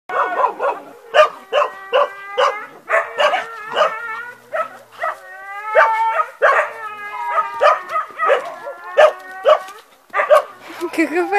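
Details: Two dogs playing together, giving high, whiny yelps and squealing, tonal vocalizations in short bursts roughly every half second, some sliding upward, with brief pauses between runs.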